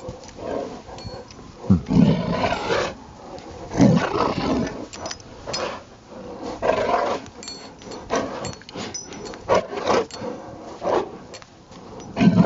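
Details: Rottweiler playing in the snow in Maryland on a Saturday afternoon, December 19, 2009; rough, throaty growling bursts come in irregular clusters, loudest near two and four seconds, with scuffling and panting between them.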